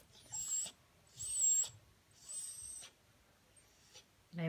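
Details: Cocker Spaniel; whining cry; separation distress, crying for its absent owner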